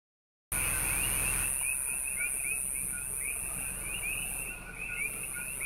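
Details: Common coqui frogs in a chorus on the Big Island, calling at night, give sharp, rising overlapping chirps; a nearby cricket adds a loud steady high hiss by the car.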